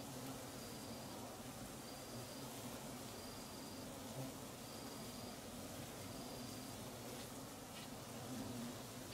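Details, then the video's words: Swarming Apis dorsata settling a new nest beside a nest left 14 months before in Perak, Malaysia, early evening: continuous droning buzz of many bees, broken by short high-pitched tones recurring at regular intervals. "Giant Asiatic Honey Bees swarming"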